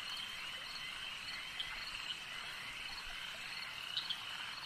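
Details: Steady high trill of a frog chorus at a lake, with a few distinct sharp chirps standing out near the start and end against the continuous buzzing wash.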